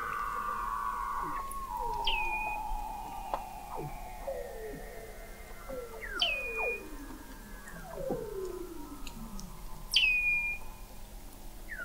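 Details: Under-ice chorus of Weddell seals in McMurdo Sound, Antarctica, November 2017, from an observatory 21 m below the sea ice: sharp high chirps ending in a flat tone every four seconds over many lower descending sweeps.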